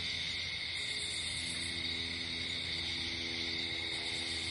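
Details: Crickets at night outdoors in nature, a dense steady chorus of high, even trilling layered in several pitch bands, unbroken from start to finish, with faint low rumble beneath.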